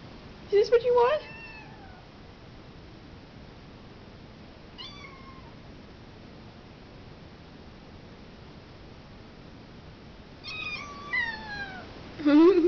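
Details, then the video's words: Hungry tiny kittens wanting food, indoors: scattered high meows, some short and falling, some longer and sliding downward, separated by long quiet stretches, with a final brief mew at the end. "Kittens wanting to eat"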